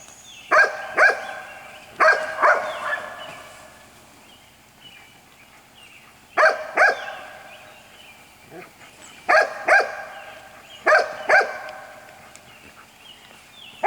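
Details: White Golden Retriever puppies, six weeks old, from the parents Jelly and Gabe. They give short, sharp, high yelping barks in tight pairs and triplets, with bursts about every one to two seconds between quiet gaps.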